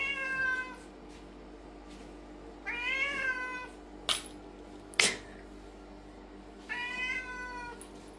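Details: A loudly meowing lynx point Siamese cat gives loud, drawn-out meows with a bend in the middle, separated by pauses.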